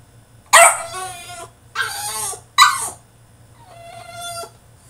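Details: Tantrum from a caged French Bulldog: three loud, harsh yelping barks about a second apart, followed by a softer, steady, drawn-out whine, over a faint low hum.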